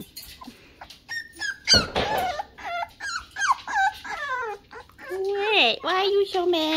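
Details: Six-week-old Toy Poodle puppies, two boys, whining and yelping indoors in a high, wavering series of squeals that rise and fall, with a woman talking to them over the cries.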